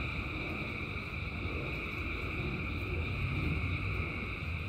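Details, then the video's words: Thousands of frogs calling together in the rain, merging into a steady, dense drone of layered pulsing tones at several pitches, over a constant low rumble of falling rain. "Frogs in Rain 2 Hours of Frogs, Thousands of Frogs Singing"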